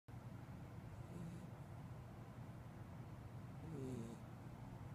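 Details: A Corgi puppy snores softly, with low rumbling breaths and a brief wheezy whistle.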